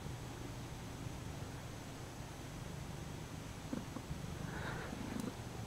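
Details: Bombay cat Lucy purring as she kneads her stuffed toy horse indoors; a quiet continuous low purr with a faint tonal sound near the end.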